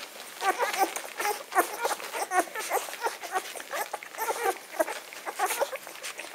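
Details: Litter of ten-day-old Magyar Vizsla puppies; many tiny squeaking and mewing calls overlapping continuously, busy and high-pitched.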